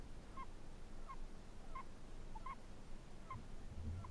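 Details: Faint snores from a Chinese hamster. Six brief squeaky pulses come at an even breathing pace over a steady low hum, with a soft thump near the end.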